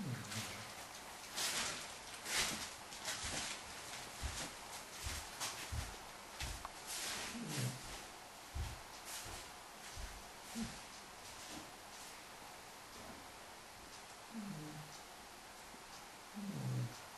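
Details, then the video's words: Remus, a 5-month-old Irish Wolfhound puppy, snores during a well-earned nap while a Great Dane cross uses him as a cushion; soft, low snorts come at irregular intervals of a few seconds, with faint rustling and clicks indoors. "Irish Wolfhound puppy snoring with Great Dane x asleep"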